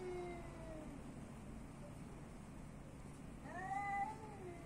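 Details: Street cat on the streets of Athens, Greece: a fading meow at the start, then after a pause a louder rising-falling meow, with steady low urban hum underneath.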